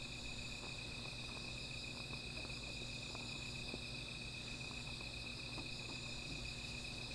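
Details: Night-time insect chorus near a small fire, a continuous thin high whine holding one pitch throughout, layered with a higher hiss and scattered soft ticking crackles from burning wood.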